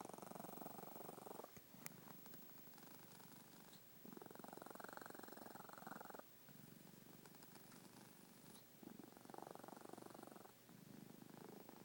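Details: Snoring pet cat, rumbling steadily in a fast fluttering pulse, with alternating louder and softer breath phases of two to three seconds each and short gaps between them. A faint tick sounds near the start.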